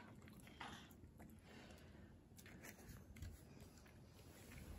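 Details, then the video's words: Hana, a female Japanese Kooikerhondje puppy born May 30, 2021, kept indoors, eats a new snack: crisp, irregular biting clicks and soft crunching over a low, steady room hum. "She eat new snack. おやつ食べます。"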